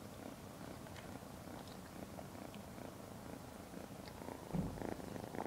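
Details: Lavender, a 12-week-old female Ragdoll kitten, Point Lilac Bicolor, just brought home, purring softly as a low, steady rumble, with a brief louder thump near the end.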